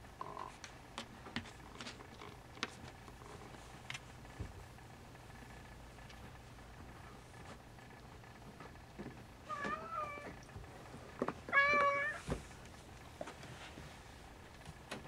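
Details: Siamese kittens at 44 days old, with two clear wavering meows near the end, the second louder with a rising then falling pitch, over low room noise and scattered clicks and rustling.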